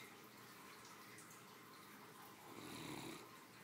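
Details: A three-year-old female Great Dane, a pampered family pet, sleeps and snores comfortably after her midday meal. One rough, breathy snore swells near the end over a constant hissing background.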